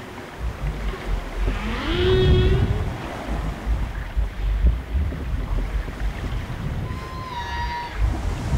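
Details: Humpback whale mating song, heard on board a boat, its repeating refrains said to repel rivals and attract females: one rising moan, later a short steady higher tone, masked by constant low water and engine rumble.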